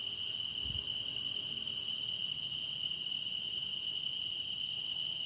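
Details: Massed grass insects singing for meditative listening: a sustained sharp ringing note layered over a fizzing high chorus, even throughout, with one dull low knock early on.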